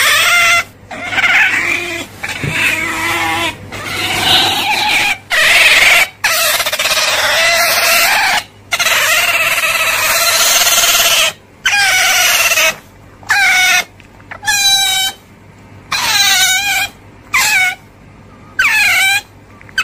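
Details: Otter squealing almost continuously, with shrill whining calls broken by brief pauses; toward the end the calls become shorter, sharply bending chirps spaced a second or so apart over a faint steady hum.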